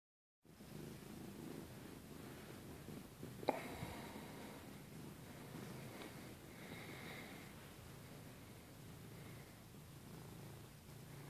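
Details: Domestic cat purring while cuddling under the blanket: a low, steady, rumbling hum that runs throughout, with a brief soft rustle of bedding partway through in a quiet indoor room.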